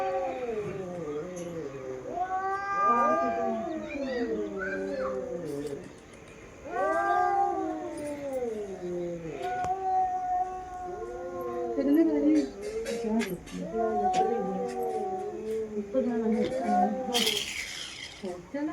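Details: Domestic cats, two females, in a fight: repeated arching, moaning caterwauls rising then falling, several long bouts separated by brief pauses, with scattered clicks and a faint steady background tone.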